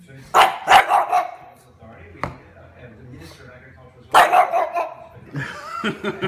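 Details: A male pug gives a quick run of three or four hoarse, yappy barks at a jar of pasta sauce, falls quiet, then barks again in another short burst; a person talks in between and near the end.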